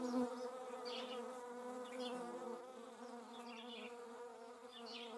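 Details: Hornet recorded in the Eifel countryside: a continuous, even wing hum with stacked harmonic tones, a brief louder burst at the start, and scattered thin high chirps in the background.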